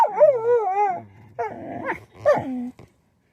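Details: Howling Shetland Sheepdog called Beetle, a pet whose howls bring on sneezing; a wavering tonal howl, then a rougher broken segment and a final short howl that drops in pitch before fading out.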